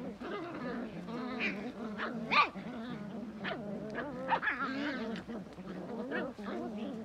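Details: Belgian Malinois dog grumbling with continuous low, wavering growls broken by sharp yelping whines and huffs. Loud peaks come around the middle.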